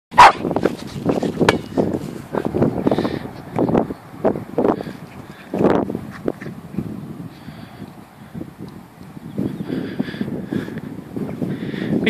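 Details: Patterdale Terrier barking while playing football, a run of short gruff woofs, some in quick pairs, with scuffling play noises between them.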